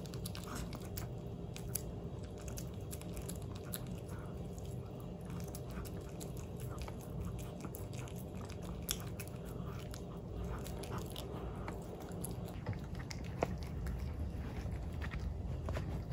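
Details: Pomeranian dog eating a Dentastix dental treat indoors in a small room: steady close crunching and gnawing bites, dense and continuous, with brief sharper clicks of teeth throughout.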